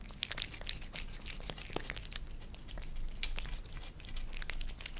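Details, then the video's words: Maine Coon Lissy and British Shorthair Fritz, pet cats in Germany, lick creamy treats on a glass table. A steady stream of fast, crackly licks and smacks continues throughout. "Cats licking creamy treats on glass table"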